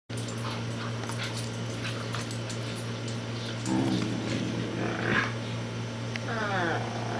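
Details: Two dogs, a Corgi and a Bouvier, play fighting indoors as Miss Marple attacks Baloo; short whiny harmonic cries around the middle and a rising yip near the end over a steady low electrical hum.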